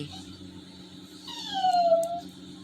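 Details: Labrador Retriever named Toby, sad after missing his walk because of rain, gives a single high whine that slides downward and fades; steady low hum indoors, with a person's affectionate talk and music nearby.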